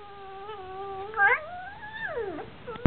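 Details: Basenji and Chihuahua mix dog crying indoors when asked to do something while it needs to go out: a long tonal whine holding steady, briefly rising, then sliding down near the end, with a sharp click at the close.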